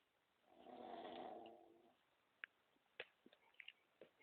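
A pug gives one long, rattling snore, a throaty buzzing breath that swells and fades.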